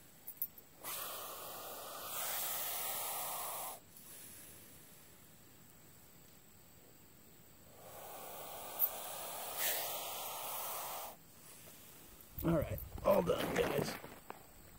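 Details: Hognose snake, a harmless non-venomous variety nicknamed Missouri cobra, putting on a defensive show: two long, breathy, broadband hisses of about three seconds each with a pause between, followed by handling and rustling noise at the end.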